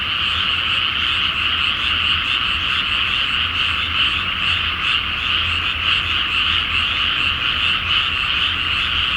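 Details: Frogs in a dense night chorus over a flooded rice field before planting, under a full moon in Japan; countless overlapping croaks merge into a steady, even roar with a faint low hum beneath.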